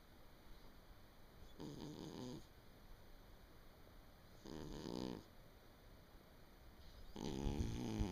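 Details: Cat soundly asleep at home in late December 2017 gives three gravelly snores spaced about three seconds apart, the last one louder, over steady faint indoor hiss.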